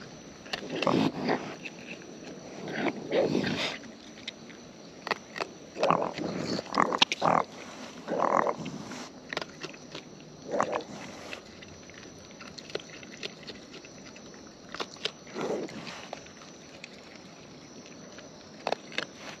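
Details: Close-up of wild raccoons eating: irregular bursts of wet, crunchy chewing and smacking noises, some loud and clustered, separated by quieter stretches with faint background hiss.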